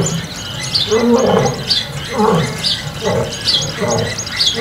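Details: Wild lions fighting at Kambaku River Lodge, Kruger National Park: an old male battles young males over territory. Harsh, broadband snarling bursts come roughly twice a second, with high bird chirps repeating above.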